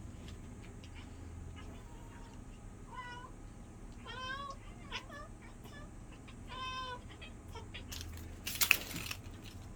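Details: Cat at hunting play with a wand toy indoors utters a handful of short, wavering meows and chirrups in the middle, ending with a sharp clattering rattle.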